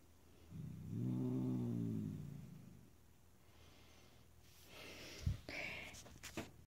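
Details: Oona, a grumpy pet cat, growls indoors at anyone too close or paying her attention: one low, rumbling growl of about two seconds with stacked harmonics, then quieter rustling and a few sharp clicks.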